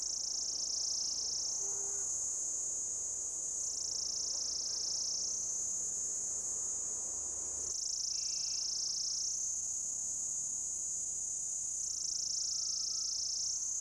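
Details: Orange cicada calling for a mate from an old deodar tree trunk thick with lichen in Jabbarkhet forest, Uttarakhand, India; sustained shrill buzzing that swings down and back up in pitch every four seconds or so, modulated by abdominal movement.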